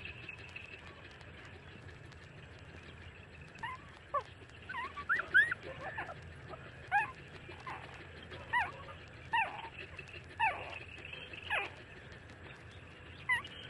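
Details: Street-dog puppies, 30 days old, nursing from their mother: a run of short high whimpers and yips, sharply falling squeaks repeated every second or so, over a steady low background hum.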